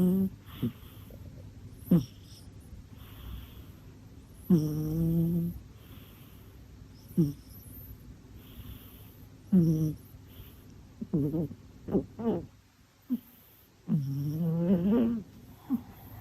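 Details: Sleeping pet cat named Mina snoring and snuffling: irregular nasal snores, some drawn out and rising, others short sniffs, scattered across the recording with quiet gaps between.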